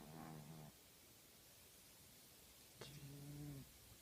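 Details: A female tabby house cat snoring in her sleep: a short low drone, a pause of two seconds, then a click and a longer, steady buzzing snore.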